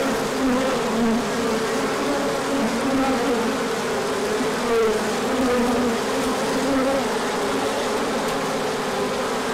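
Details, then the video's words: Large orientation flight of bees emerging in spring sunshine after a cold stretch; thick, even buzzing of many insects, with brief rising and falling whines from bees flying close. "Large Orientation Flight."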